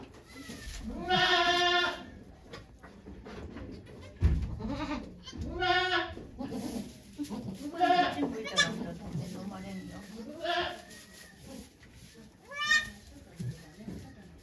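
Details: Okayu the goat giving birth to two kids at Yoshigake farm, Japan, 3 May 2023, with volunteers present: repeated wavering, nasal bleats roughly every two to four seconds, five or so in all, with murmured human voices and rustling between.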